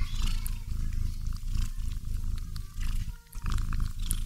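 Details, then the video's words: Cat asleep while hugging a doll, snoring in a dense low rumble that dips briefly to near quiet about three seconds in, then resumes. "Cat Cuddling with Dolls while Snoring Sounds HQ"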